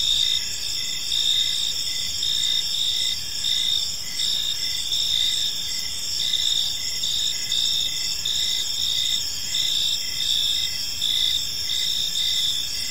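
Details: A chorus of crickets at evening in a quiet park, continuous high ringing trills in layered bands, the loudest chirp bursts pulsing irregularly every second or so, steady soft noise beneath.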